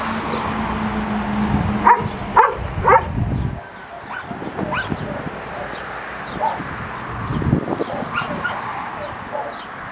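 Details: A dog gives three quick, sharp barks in a row early on, then quieter scattered yaps and rustling follow over a muffled background hum.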